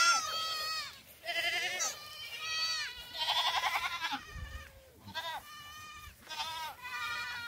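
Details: Kids of black goats dashing around a farm in Gimhae, South Korea, on 22 July 2008; many tremulous nasal bleats follow each other closely, some long and wavering, from more than one young animal.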